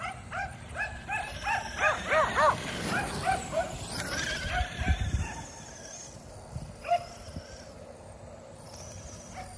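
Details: Kerry Blue Terriers, five dogs, exercising at home by chasing a remote-control car, give rapid excited high barks and yips about three per second, then fade to a few scattered yelps over a motor's whine.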